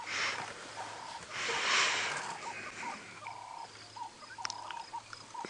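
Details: Impala at Djuma Game Reserve, South Africa, on a sunrise safari drive, March 9, 2017, gives harsh, breathy alarm snorts at nearby leopards, over short repeated bird notes and a low vehicle engine hum.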